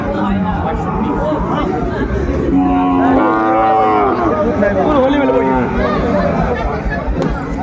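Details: Sahiwal bull calf at the Ambari cattle market, 17 January 2025: a low, bending moo lasts about a second and a half before a brief second lowing, under busy market talk and bargaining voices.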